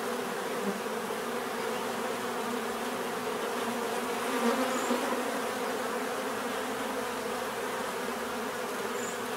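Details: Constant buzz of bees, a dense droning hum with a slight swell in loudness near the middle and a couple of faint high whines.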